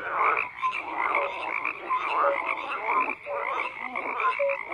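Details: Frogs calling en masse, a steady wall of grating croaks that swells and briefly dips near the third second, dotted with short flat whistle-like notes at low and middle pitch.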